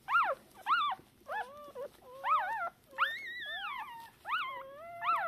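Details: Shiba Inu pups only hours old, blind and deaf, crying out for the mother after an October 2022 birth of three; loud, clear squeals, each sweeping up then sliding down, some drawn out and wavering, spaced about half a second apart.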